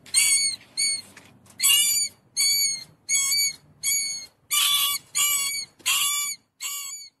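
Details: A mouse gives a string of about ten high, ringing squeaks, each a brief harmonic burst, delivered at an uneven pace with short pauses between them.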